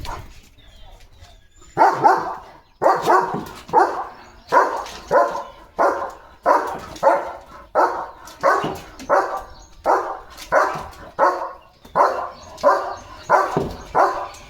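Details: Leo, a pet German Shepherd, playing and running at speed: after a quiet opening, a steady run of short, loud, rough bursts about every two-thirds of a second continues to the end.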